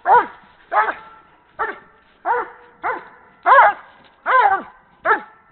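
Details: Atlas Bruin Betelges, a breeding Doberman in Canada, playing with a horse ball; eight loud, deep barks about every two-thirds of a second, each short and punchy with a brief gap between.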